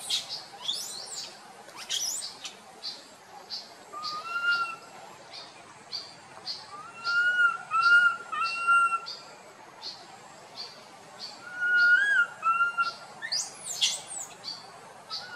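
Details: Boston, a tiny monkey wandering with its group, cries out in drawn-out tonal coos that rise and fall, heard in several bursts, with frequent high chirping of birds throughout.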